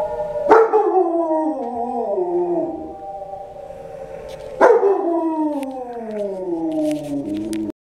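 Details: Dogs howling at Doctor Zhivago: two long, strong howls about four seconds apart, each starting high and loud, then sinking slowly in a wavering, rich drawn-out tone, with a few faint clicks between.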